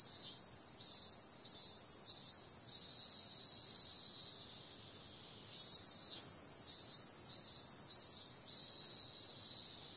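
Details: High, dense insect buzz of cicadas at night in summer, pulsing in groups of about four louder beats, with a pause of steady droning between the groups.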